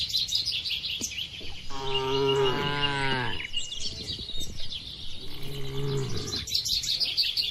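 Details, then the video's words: Tame cattle grazing across a wide village field let out two low, rich moos, the first long and slightly falling, the second shorter, beneath a steady chorus of high twittering birds. "Bunyi Sapi Lembu Lucu"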